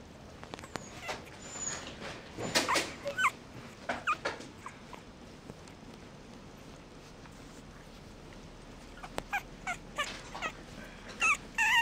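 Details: Mixed-breed puppy giving short, high, thin whimpers and yips in scattered bursts, clustered near the start and the end, with soft rustling and handling noise between calls.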